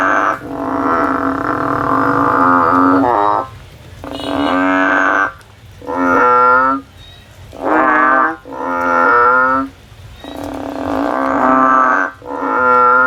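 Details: A frog climbing a tree, looking for a way out, gives long, wavering, nasal bleating calls of one to two seconds each. About six calls come in uneven succession with short quiet gaps, over a low background hum.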